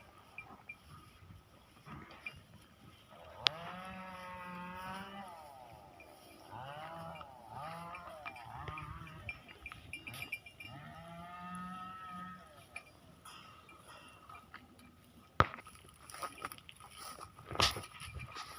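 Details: Goats at a goat and dairy farm give three long, wavering bleats that rise and fall in pitch, spaced a few seconds apart, over a steady low hum with occasional sharp clicks.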